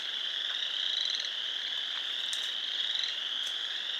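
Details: Many frogs at a pond in Sanborn, New York, on 29 March 2020 call together in a dense, high-pitched, continuous trilling chorus.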